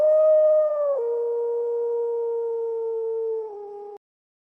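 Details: Wolf howling one long, smooth, steady tone that drops abruptly to a lower pitch after about a second and steps down again near the end. The background is silent.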